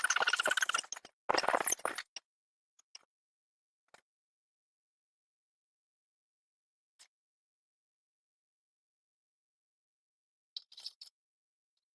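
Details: Two brief bursts of rustling, clinking noise open the recording, followed by a few faint clicks and long stretches of near silence.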